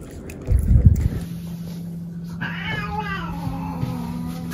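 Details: Domestic cat cleaning a person's hair gives a drawn-out, falling meow over a steady low hum, after some brief thumping and rustling at the start.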